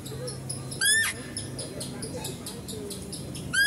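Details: Female deer at a zoo, heard while a stag is being fed: a short, high squeal with stacked harmonics sliding downward near the first second, then another sharp squeal starting right at the end, over a low hum and faint voices.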